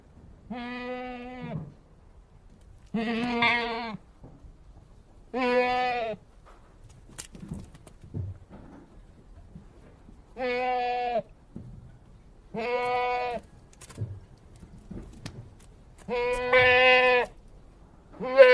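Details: Domestic goat bleating repeatedly: seven short, shaky, nasal bleats spread over eighteen seconds, with soft thumps and shuffling between calls.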